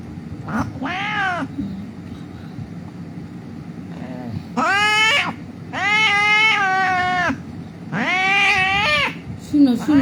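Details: Injured cat found lying on a street, about to be treated, gives a series of loud drawn-out meows, some rising then falling, with a person speaking softly between cries and low background rumble.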